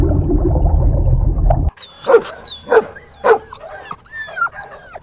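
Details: Puppies drinking milk on a green meadow; after a burst of loud rumbling noise, sharp high yips with bending, whimpering tones come roughly every half second, ending in a longer whine.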